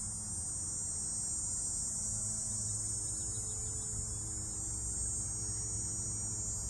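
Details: Dog-day cicadas drone in summer, a steady, high, buzzing whine over a low background hum.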